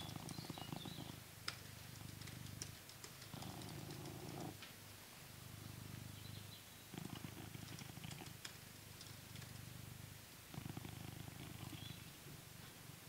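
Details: Coconut the blue British Shorthair, kept in England, purrs contentedly as he is brushed. The low rumble pulses in repeated louder and softer phases, with occasional crisp brush clicks over it.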